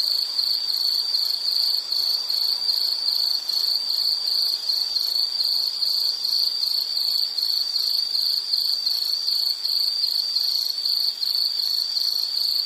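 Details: Continuous high insect trilling, evenly pulsed and unbroken throughout, played as a soothing nature sound for study or sleep; nothing else audible.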